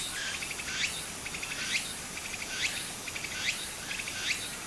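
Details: Cicadas singing in summer beside a stream in Japan: a hissing high buzz pulses with short rising strokes that repeat about once a second, over the steady rush of flowing water.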